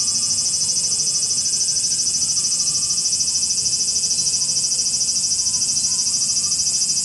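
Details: Cicadas in Japan fill the air with a steady, high-pitched electric buzz that pulses rapidly without pause.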